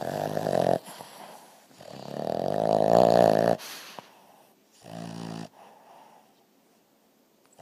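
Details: A sleeping, twitching dog snores in rough, rattling bursts: a short snore, then a long swelling one lasting nearly two seconds, and a third shorter burst, with quiet breathing between them.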